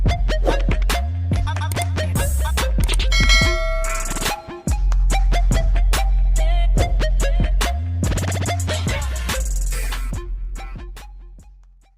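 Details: Loud hip hop music with heavy bass, drum machine beats and record scratching plays throughout, with no animal sound heard.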